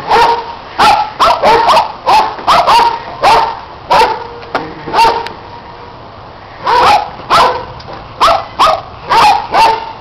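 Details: Several dogs bark during play with a red Kong toy, a neighbouring dog joining in: rapid repeated sharp barks in runs, a quieter gap midway, then more bursts.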